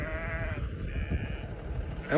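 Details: Vermont sheep trailing a walking person as if wanting to join; a short nasal bleat opens, then quieter background rumble, and a sharp, louder sound cuts in at the very end.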